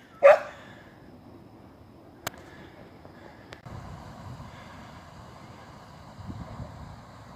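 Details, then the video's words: Border Collie called Terra, described as a talking dog, outdoors on an afternoon outing, leading the way to the park: one sharp, loud bark right at the start, then quiet, with soft rustling and footstep sounds in the background. "Talking Border Collie"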